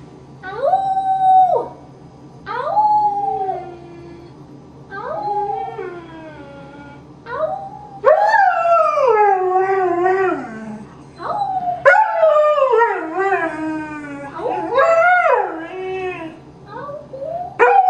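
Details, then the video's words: A foster greyhound rooing, or singing: a series of drawn-out, wavering howls with rich harmonics, rising then sliding down, separated by short pauses, with a steady low hum beneath. "Greyhound Rooing (singing)"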